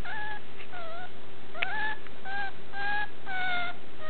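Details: Puppy giving a run of short, high, tonal whimpers with steady or slightly falling pitch, several in quick succession over a constant low background hum.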